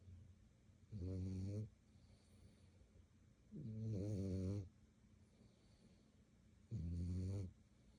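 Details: Dog growling during nighttime play at about 11:30; three low, snore-like rumbles, each under a second long and spaced about three seconds apart, in a quiet room.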